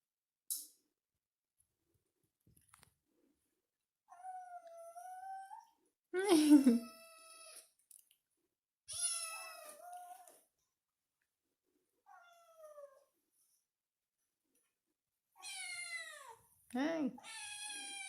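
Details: Indoor kitten crying, perhaps seeking attention: a series of harmonic meows, some short and falling, some long and wavering, one with a sharp downward sweep, spaced with pauses, in a quiet room.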